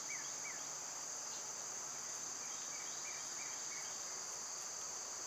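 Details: Summer cicada chorus: a continuous shrill, even buzz holding high throughout, with a few brief chirps from birds scattered over it.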